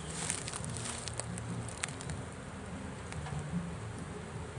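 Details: Trapped swarm of bees, the first catch of a swarm trap, being pulled out; a low steady droning buzz overlaid with sharp crackling clicks and taps from handling.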